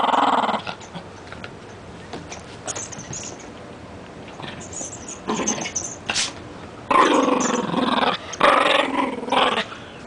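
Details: A pet Rat Terrier growls while playing with a new toy indoors: a short rough growl at the start, then two longer noisy growling bursts near the end, with quiet rustling between.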